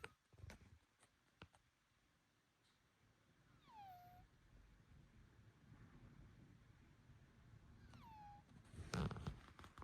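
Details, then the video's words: Bengal cat whose owner suspects illness, nasal breathing, congestion or allergy, giving two strange high tonal calls that slide downward and level off, about four seconds apart, with scattered knocks and thumps around them. "猫が変な鳴き声するから病院にdisease? I went to the hospital because my cat was making strange noises."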